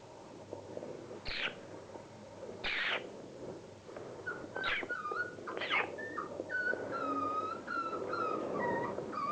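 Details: Border Collie puppies, 36 days old, playing: thin, high whines and whimpers that rise and dip, repeated through the second half. Earlier, short scuffling bursts of broad noise come from the play.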